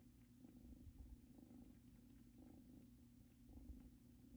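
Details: Two kittens indoors, nestled on a blanket brought from their mother's home: very soft, low, continuous purring that swells in gentle pulses about once a second in a quiet room.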